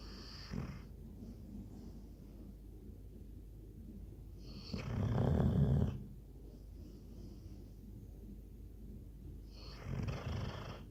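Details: A sleeping Labrador Retriever snores in slow cycles: a short snort near the start, a long, loud, rumbling rasp around five seconds, and another softer snore near ten seconds, with hushed breathing between.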